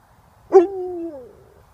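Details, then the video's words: A howling Alaskan Malamute, playing and sounding like Chewbacca, gives a brief, throaty howl that holds steady and then slides downward. "Chewbacca sounding Alaskan Malamute"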